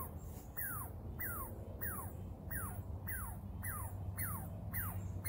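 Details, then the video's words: Baby Douglas squirrel squeaking on a tree: a steady series of short, sharp descending squeaks, one roughly every half second, over a low background rumble. "Baby ninja Douglas squirrel squeaking on the tree"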